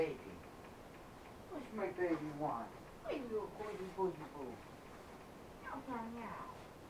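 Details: Pet cat named Simba meowing at home near a love seat, captured on a helmet cam: three drawn-out, harmonic mews that arch and then slide downward, spaced about two seconds apart over a quiet indoor background.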